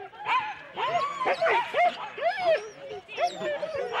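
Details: Four-dog Husky sled teams at the start of a race at Rendlesham in January 2016, giving excited, arching high barks and yips in quick bursts, several dogs overlapping.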